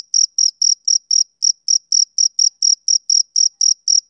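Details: A male cricket calls on a summer evening, giving shrill, evenly spaced chirps about four times a second, one brief hesitation near the middle, over total quiet.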